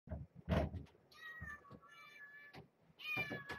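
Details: Domestic cat, mother with kittens in a box inside a cage, at dinner and bedtime: two drawn-out, slightly wavering mews in the second half. A thud and soft rustling come first, in a quiet room.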